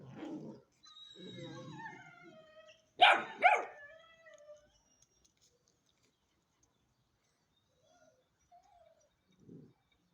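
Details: Ten-week-old Hanoverian Scenthound puppy whining in thin descending whimpers, then two quick, loud barks in succession, followed by near silence broken by faint whimpers and a low grumble.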